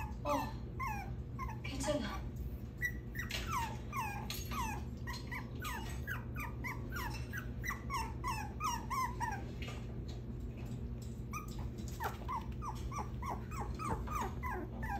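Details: Dense bursts of thin, rising whines and squeaks from a six-week-old puppy getting out of a cage, with a brief pause midway, a person's voice nearby and a steady low background hum.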